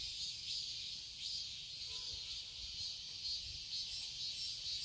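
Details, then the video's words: Cicadas in a garden in Seoul, Korea, in summer: a dense, steady high-pitched buzzing chorus that holds throughout with gentle swells in loudness, over a faint low rumble. "Cicadas chirping sounds"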